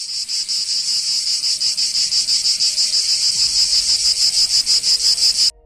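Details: Cicada calling: a loud, harsh, high-pitched buzz made of rapid even pulses that runs steadily for about five and a half seconds, then cuts off abruptly.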